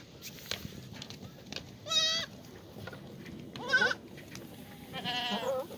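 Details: Black goats in a farm exercise yard at Gimhae, South Korea, on a clear Monday morning, 1 April 2019; three quavering, strongly harmonic bleats spaced about two seconds apart, the last one long and trembling, with steady low background noise.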